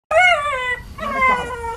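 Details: A Shiba Inu screams dramatically while being washed: two loud, high, wavering cries, the first rising then sagging, the second wobbling and quavering.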